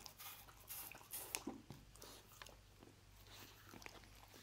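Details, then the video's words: Lucy, a pet dog, chewing roast beef indoors: a burst of loud crunching bites in the first second and a half, then softer, sparser chewing clicks over a low steady room hum. "Dog Eating Roast Beef"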